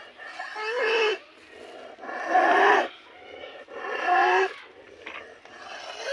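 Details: Cattle with snoring disease, giving three loud, rough, drawn-out snoring sounds about a second long each, spaced roughly every one and a half seconds, each with a harsh rising tone over a low breathy rasp.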